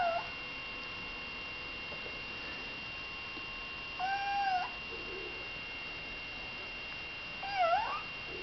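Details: Eight-week-old female kitten, number five of litter H, meowing indoors: three clear tonal meows, one at the start, one near four seconds that is drawn out and slightly arched, and a short rising-falling one near the end, with steady background hum.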